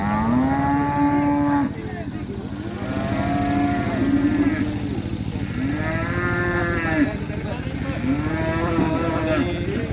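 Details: Giant cattle being unloaded down from a large truck: loud, drawn-out low moos with rich harmonics, several calls in a row, some rising and falling, over a steady low engine hum and music.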